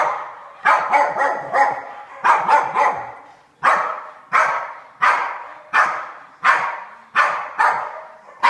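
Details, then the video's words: Two pet dogs, Pig and Joker, at daily play chasing each other in a game of tag; a series of sharp, hoarse barks, some in quick doubles and triples, then single barks spaced under a second apart. "Our dogs play tag"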